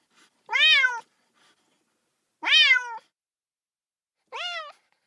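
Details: Kitten crying for its mother, sounding lonely: three high, bright meows roughly two seconds apart, each arching up and fading, in otherwise quiet surroundings.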